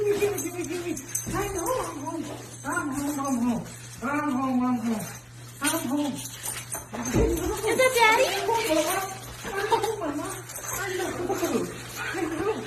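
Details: Siberian Husky welcoming its returning owner, producing a series of tonal, rising-and-falling howl-whines roughly once a second, some breaking into higher squeals, with a thump and steady background hum.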